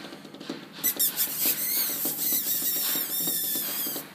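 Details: West Highland White Terrier indoors, giving thin, high-pitched squeaky whimpers that waver up and down in quick overlapping strings for about three seconds. Soft pattering and light thumps sound underneath.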